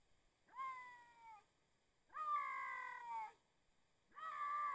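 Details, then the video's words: Bobcat calling while looking for a mate: three long, harmonic, slightly descending wails, each about a second long, separated by short silences, with a faint steady high tone in the background. "Talking Bobcat! Looking for a Mate."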